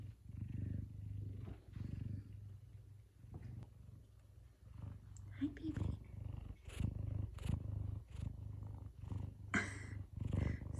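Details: A large male F2 Savannah cat purrs in a steady low rumble and gives a few short meows one morning in the kitchen, excited for leftover chicken. Geese call in the background.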